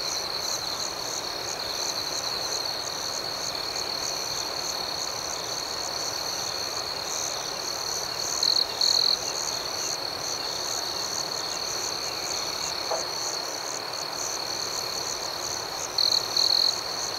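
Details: Crickets trill steadily in the dark, a shrill unbroken high note with repeated pulsing chirps above it. Brief louder double bursts of buzzing appear twice, midway and near the end, over faint rural ambiance.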